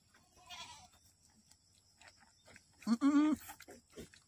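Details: Boer goat on a farm in Aceh, giving birth to twins, lets out a single quavering bleat near the end, preceded by a faint breathy sound and light rustling in the pen.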